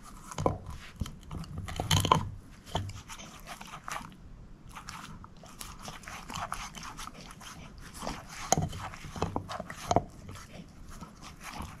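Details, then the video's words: Moose, a shepherd mix dog, chewing a bone: steady crunching and gnawing clicks, with heavier bites early on and again past the midpoint, recorded indoors without speech. "SHEPHERD EATING BONE ASMR"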